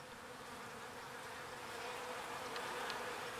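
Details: Honeybees foraging on pollen and carrying it back to the hive: a steady, dense hum of many wings with a low buzzing drone throughout and faint higher flickers of individual passing bees.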